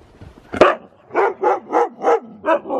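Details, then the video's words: Siberian Husky going crazy in fresh snow during the zoomies: one sharp loud bark, then a rhythmic series of six shorter barks, roughly three per second. "Husky goes crazy in the snow! |Husky Zoomies|"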